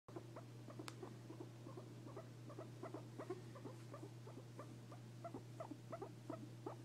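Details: A guinea pig gives rapid, short squeaky chirps in an uneven stream over a steady low hum; the owner wonders whether it is a happy sound.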